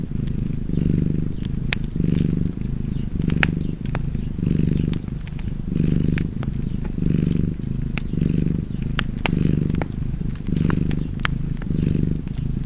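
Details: Cat purring steadily by a fire, a soft low drone swelling and easing in about ten breath cycles, with scattered sharp crackles and clicks from the burning wood.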